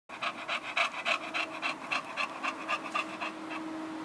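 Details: Three-year-old bulldog panting hard and fast, quick rhythmic breathy huffs about three or four per second, loud and close, with a faint steady hum underneath.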